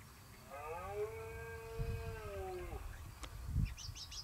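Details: Rutting red deer at Acrijos, Soria, recorded 29 September 2017: one sustained, steady bellow of about two seconds that drops at the end, followed by a sharp knock and faint higher chirps.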